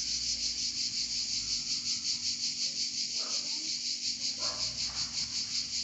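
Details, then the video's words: Cicadas singing in Provence: a dense, high, hissing buzz that pulses steadily about three times a second and never stops, with faint low rural background beneath. "Chant des Cigales en Provence"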